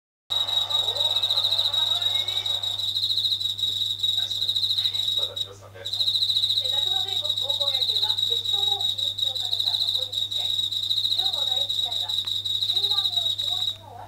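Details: Japanese katydid singing at night near a kitchen ceiling indoors, unafraid of people; a continuous high, buzzy, rapidly pulsed trill with a brief pause near the middle, over a low steady hum and faint clatter of household sounds.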